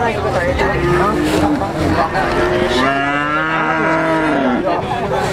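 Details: Female Rambon-type cattle at a cattle market, young stock offered for sale; long, drawn-out moos, several overlapping and sometimes wavering, with a man talking and steady market chatter behind them.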